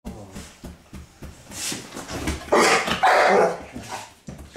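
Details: Pit bull barking as a wake-up call for its owner: a messy stretch of low thumps and rustling, then two loud, broad, harsh bark bursts in close succession near the end.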